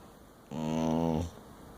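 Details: A sleeping dingo gives a single short rasping snore, low and harmonic-rich, about three quarters of a second long, in a quiet room.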